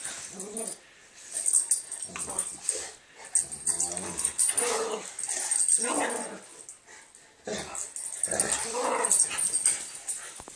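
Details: Two dogs playing together on Christmas Eve 2011, giving rough growls and grunting barks in several bursts of one to two seconds separated by short quiet gaps, with a faint steady high-pitched whine in the background.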